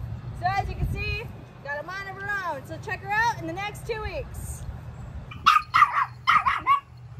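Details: Luma, a six-month-old teacup poodle in dog training in Central Florida, gives a run of high, arching whines and yelps that rise and fall, then several short sharp barks near the end.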